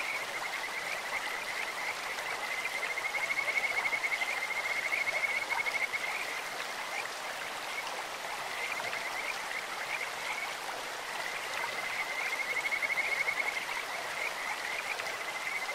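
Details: Kajika frogs singing in a clear mountain stream, a bird-like voice: long, sustained, high whistled trills rising slightly in pitch, in two bouts several seconds long, set against constant broadband rushing water.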